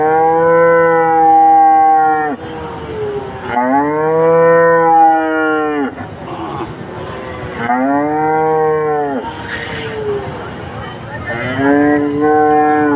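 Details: Repeated cow moos, four or five long harmonic bellows in about thirteen seconds, each arching slightly and ending with a downward slide, separated by short rough breaths.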